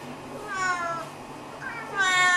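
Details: Two clear meows from a Snowshoe cat, one of the pair Nevada and Noodles asking for a fuss, food or a walk: a drawn-out falling call, then a louder rising one right after.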